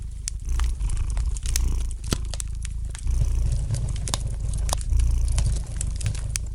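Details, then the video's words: Domestic cat purring gently beside a fireplace: a steady low rumble that swells and eases in long breaths, overlaid by the light, sharp crackles and pops of a burning fire throughout. "gentle purring of the cat"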